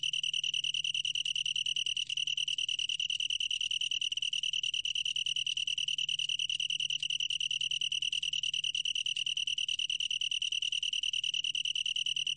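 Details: From a 2020 National Institute of Biological Resources recording, a long-tailed tree cricket sings a sustained high trill, evenly pulsed and ringing, never breaking off, with a faint humming undertone.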